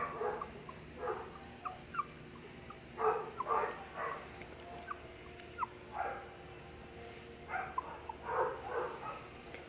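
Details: Two young Dachshund siblings indoors at a pet shop in Nara, Japan, giving short scattered yips and whimpering squeaks in small bursts separated by quiet gaps, with faint room noise.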